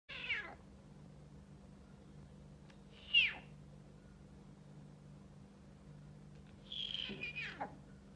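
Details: Snow leopard cub giving three thin, high, descending mewing calls spaced a few seconds apart, the last one longer and wavering, over a faint steady low hum.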